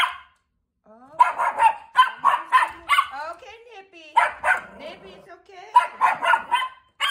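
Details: Chihuahua watch dog barking at a neighbour outside; rapid series of sharp, high barks in irregular bursts, with pauses between volleys and a person's voice mixed in.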